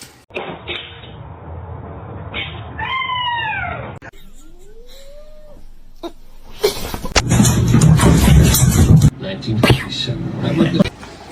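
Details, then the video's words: Domestic cat producing several short falling meows, then one slow rising meow, followed by loud human speech and handling noises. "cats meowing"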